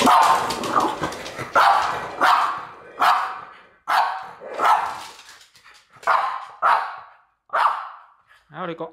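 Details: Lulu, a female French Bulldog, barks furiously at a French Bulldog figurine in rough, repeated bursts, with people talking in the background.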